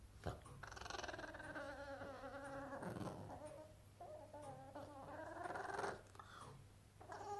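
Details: A male Boston Terrier, unhappy that his toy has gone under the sofa, moans in drawn-out, warbling whines that waver up and down like a turkey's gobble.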